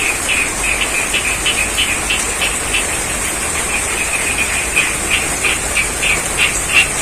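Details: In rain over a rice paddy near Ngadirojo, Pacitan, East Java, frogs give rapid, pulsed croaks roughly three per second, somewhat softer and less regular, beneath a dense wash of falling rain and a constant high-pitched hum.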